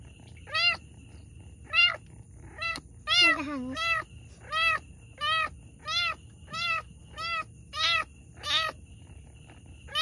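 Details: During the birth of two kittens, a cat setting off short, piercing mews at a fairly even pace of roughly one per second, with one lower, dragging cry early on and a soft background hum.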